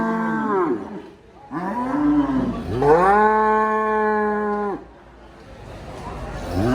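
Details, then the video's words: Cow mooing: three long, loud, drawn-out lows with strong harmonic bands, each rising slightly then falling away at the end, separated by short quiet gaps. "Suara Sapi MOO || Cow MOO Sound Effect"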